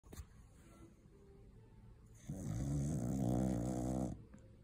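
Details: Cocker spaniel snoring loudly after a long day of eating Christmas turkey; a faint quiet stretch, then a sustained low, rattling, buzzy snore lasting about two seconds.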